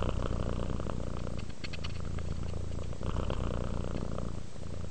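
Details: Domestic cat purring while relaxing: a steady low rumble with dense pulsing energy, the pulses blending into a continuous throb for the whole stretch, with brief breath-like dips near the middle and end.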